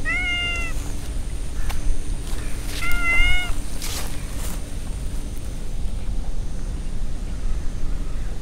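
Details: Meowing from stray cats gathered in a park beside a big pond: two clear, level, harmonic meows about three seconds apart, followed by quiet background hum and occasional rustling.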